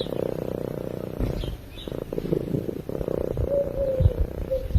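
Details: Sleeping house cat purring near a microphone, a deep continuous throbbing rumble that swells and fades with each breath, with a brief quiet gap mid-way and a few soft clicks.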